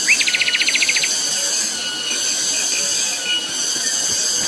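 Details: Cicadas ringing loudly on Gunung Pabangbon: a continuous, even, high metallic whine. A bird opens with a rapid buzzy trill of about a dozen notes lasting one second.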